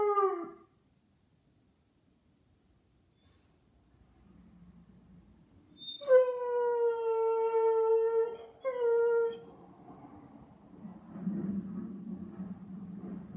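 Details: Blonde Bouvier dog giving a brief falling howl at the start, then after silence a long steady tonal howl with rich harmonics, a short break and another note, followed by low muffled rumbling.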